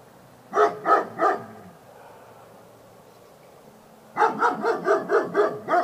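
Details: Labrador Retriever barking: a quick run of three sharp barks, a quiet pause, then a faster burst of about seven rapid barks in a row.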